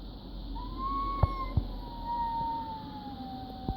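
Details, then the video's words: A pet cat makes a weird noise. It is a thin, sustained whistling tone that rises slightly and then slowly falls for about three seconds. A few soft knocks and clicks can be heard alongside it. "My cat eddie makes this weird noise"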